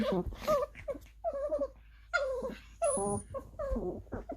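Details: Small pet dogs, a young Maltese Pomeranian mix and a Lhasa Apso Chihuahua mix, playing together; odd wobbling whines and short yelping moans in quick bursts, a brief high whistle-like tone partway through.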